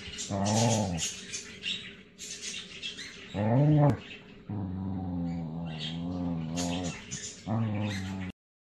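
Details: Zoda, a female Border Collie, playful: short nasal whining and whimpering notes with stacked harmonics, some rising then falling, in bursts about a second long with a longer held whine, faint hiss and low background noise.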